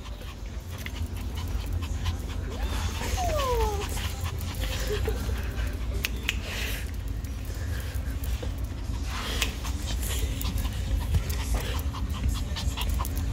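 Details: Female Chihuahua dressed in a little cowboy Halloween costume, panting in fast, soft, breathy pulses throughout, with a couple of short descending squeaky tones early on and steady low background hum.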